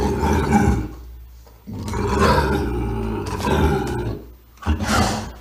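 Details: Bobcat growling with snarls and chuffs: rough, low rumbling growls in three long bursts separated by brief pauses, ending in a sharper snarling burst.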